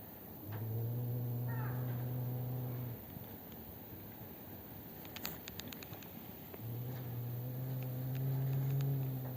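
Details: Drawn-out, low, moaning growl-yowls from a black-and-white cat fighting with Maron at a home, 12 December 2025, two sustained steady tones separated by a quieter gap with faint clicks.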